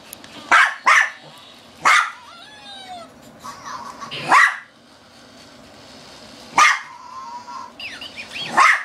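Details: A female Shih Tzu plays with a toy, barking non-stop yet seemingly afraid to grab it: sharp, high barks in irregular bursts with a faint squeaky whine between them.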